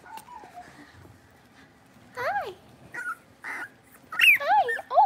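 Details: Six-week-old Blenheim Cavalier King Charles Spaniel puppies in a home puppy pen give scattered high, bending whines, sparse at first then clustering near the end, with soft speech faintly in the background.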